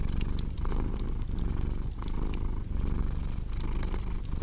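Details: Deep, buzzing cat purr in uneven pulses beneath frequent crackling and snapping of a fire.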